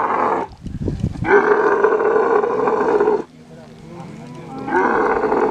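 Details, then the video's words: Mating Kharai camel, a unique swimming breed from coastal Kutch in Gujarat: a brief throaty gurgle, then a long loud rasping roar, a lull of low grumbling, and the roar starting again. "Kharai camel mating"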